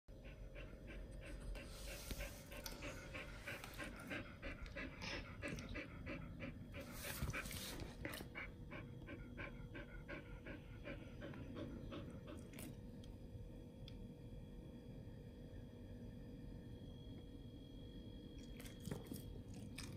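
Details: Pit bulls eating raw frog legs, soft shell crab and duck feet; rapid rhythmic panting, about three breaths per second, with chewing and licking clicks throughout, a steady faint hum beneath.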